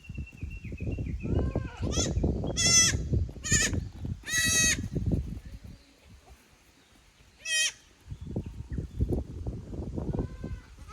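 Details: Goat kids on a visit to another pasture at Yoshigake farm, Japan, May 2024; a quick run of three or four short quavering bleats, then one more later, amid bursts of rustling and handling noise.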